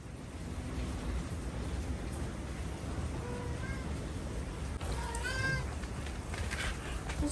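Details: Domestic cat on a stormy night, indoors with heavy rain: a few short harmonic meows around three and five seconds, rising and falling, over a steady roar of rain and low rumble.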